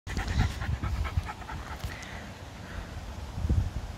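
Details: Female Patterdale Terrier out for a walk in the countryside with a rifle-carrying owner on a boiling hot day, panting in quick rhythmic breathy bursts for over a second, then quieter, with low wind rumble and brief human voice.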